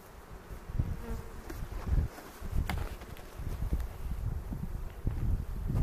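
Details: Honey bees in a hive being opened on April 27, during the second inspection of the 2018 season, at a bee yard in the foothills near Cochrane, with keepers checking for queen cells and making a split. A low, dense, steady hum runs throughout, broken by handling thumps.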